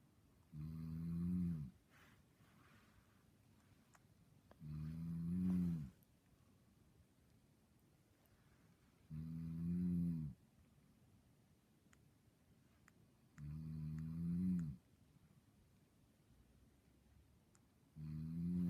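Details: Dreaming dog in deep sleep gives five low, rasping snores at a regular pace of about one every four seconds, each swelling briefly, with faint ticks in the quiet gaps.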